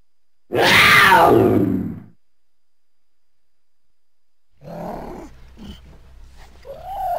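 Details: Cougar, or mountain lion: one loud, hoarse, rasping cry lasting about one and a half seconds, followed after a pause by quieter, broken grunting and rasping sounds.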